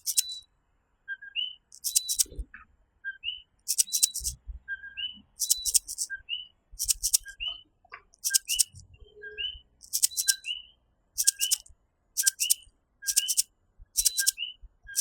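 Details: Coquí, a tiny tree frog of Puerto Rico, in a night chorus: a two-note call, a low note then a higher upswept one, repeated about every half second. Bursts of high, hissing clicks sound between the calls.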